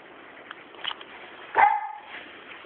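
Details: AKARI, a pet Sealyham Terrier, gives one sharp, high yip with a bright, ringing tone at mid-clip. Low background hiss surrounds it, with a few faint soft sounds just before.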